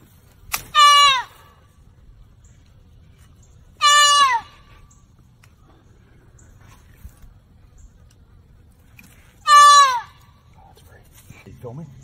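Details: Baby deer trapped in a fence and crying in pain. Three loud nasal bleats, each under a second and falling in pitch at the end, come several seconds apart over a quiet background.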